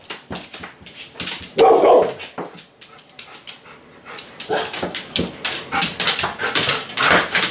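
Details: Rhodesian Ridgeback and Labrador cross female dog, indoors, waiting while her dinner is on the stove: one short, loud, mid-pitched whimpering yelp early on, then steady clicking and tapping sounds that continue throughout.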